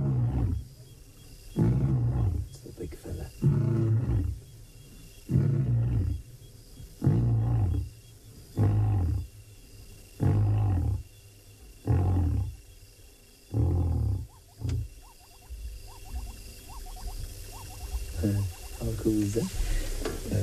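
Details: Lions in the Maasai Mara at sunset on 3 September 2017 give a long series of deep, throaty grunting roars, each about two seconds apart.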